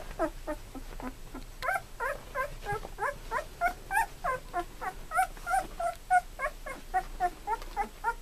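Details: Golden Retriever puppies, Sadie's litter, two weeks old with eyes newly opened and learning to walk; a steady run of high, squeaky whimpers, each bending up then down, about three per second and overlapping from several pups, with faint room hum.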